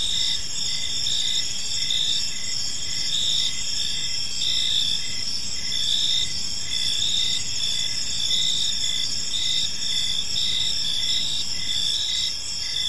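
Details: On an evening in a park, a dense cricket chorus keeps up a shrill, even ringing with regular short chirps beneath, over a low background rumble.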